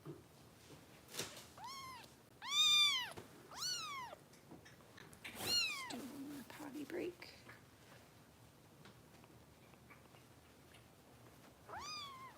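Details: Foster kitten in the care of Los Angeles rescue volunteers, indoors around bottle feeding; a run of loud, arched, harmonic meows in quick succession, a pause with soft human talk, then one final meow near the end.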